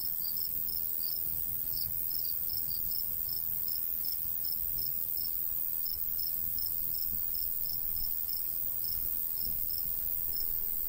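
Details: Crickets calling in summertime countryside by a golden wheat field, regular high chirps repeated a few times per second without pause, accompanied by a constant soft breeze.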